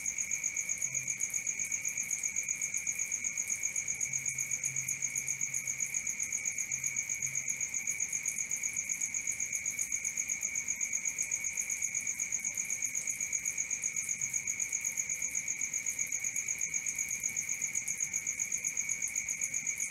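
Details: Crickets at night, a steady, dense pulsing chirp held on two high, unbroken tones, rapid and even throughout with no gaps, plus faint low hum in the background.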